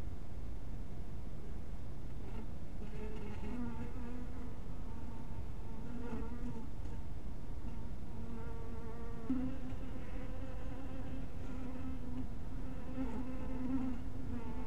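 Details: Buzzing of honey bees at a hive at dusk, the drone shifting in pitch as individual bees pass close, with gaps and surges in the hum and occasional light clicks.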